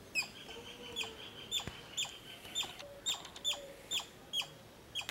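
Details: Squirrel repeating crisp, clipped chip notes about every half second, with a faint low whistle early on and quiet background hiss.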